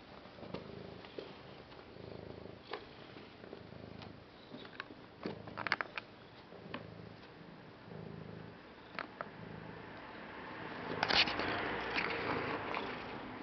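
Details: Pet cat purring indoors in rhythmic rumbling bursts about every second, broken by scattered clicks and handling noises, with a louder rustle near the end.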